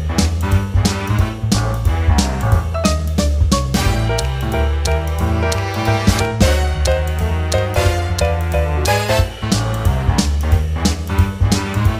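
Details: Loud, upbeat jazz-funk instrumental with a strong bass line, guitar and drum kit hits, with no animal audible.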